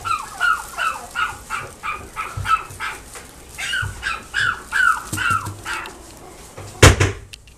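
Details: Chihuahua and Dachshund cross puppy at a pet shop in Nagoya, Japan, yipping steadily, about two short down-slurred squeaky yelps per second for six seconds, then a loud knock and quieter rustling.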